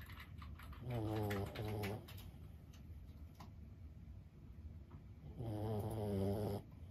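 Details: Lulu, a 15-year-old senior Boston Terrier, snoring while asleep indoors: two drawn-out, low, rattling snores, one near the start and one near the end, with quiet breathing between them.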